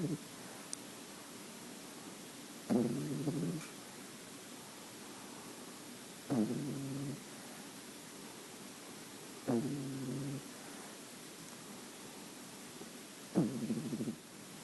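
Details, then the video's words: Sleeping French Bulldog puppy Luna, a nine-week-old female with creamy white fur, gives four throaty, buzzing snores, each lasting about a second, spaced roughly every three to four seconds in a quiet room. "Luna Snoring"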